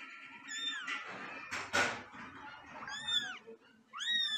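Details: Angry domestic cat, Luna or Simba, indoors, giving short curved meows at the start and end, with a loud burst of scuffling noise in the middle.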